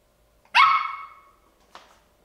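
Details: Playful ten-week-old Bichon Frise puppy giving one loud, ringing, drawn-out high bark that fades slowly, then a faint short yip a second later; quiet room.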